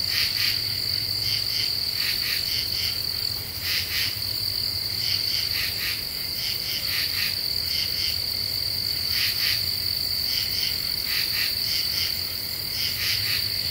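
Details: Common true katydid calling at night in an Ozark deciduous forest, July 2013, after the cicadas go quiet: rasping bursts of two or three pulses repeated steadily, with a continuous high insect drone and low background hum.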